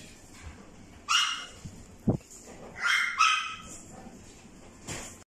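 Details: Red-coated female dog, born April 2021, giving two short clusters of high, yelping barks with a brief whine-like note between, plus a sharp knock and a final short bark.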